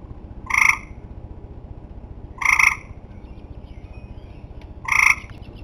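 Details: End-of-summer tree frogs giving three short, loud, nasal honking calls spaced roughly two seconds apart, each rich in harmonics, against a faint constant low rumble.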